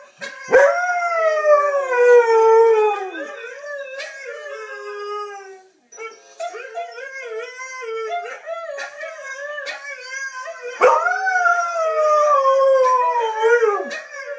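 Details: Siberian husky howling at the sight of his brothers: a loud falling howl, then softer broken, yodelling wavers, ending with another strong howl that slides downward.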